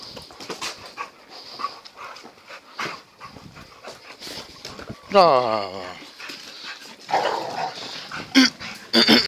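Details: Zonda, a 12-month-old female American Staffordshire Terrier, with Jr in Naples in September 2013; one loud, falling, richly harmonic whine or yelp midway, amid scattered clicks, rustling and background noise.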